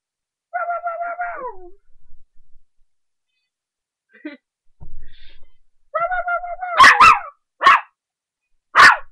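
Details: A 3½-month-old puppy barking up a storm while playing: a long, wavering, descending whine, a brief quiet yip, then another whine breaking into four sharp, loud barks spaced unevenly.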